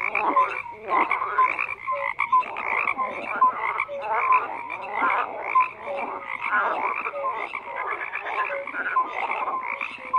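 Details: A crowded frog chorus of overlapping croaks, some harsh and clicking, others short tonal bleats, rising and falling in loudness as many callers go at once.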